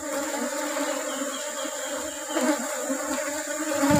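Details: Dense humming of a honey bee colony as honey is taken in the rubber-blossom season, a continuous layered drone with scattered soft taps and shuffling underneath.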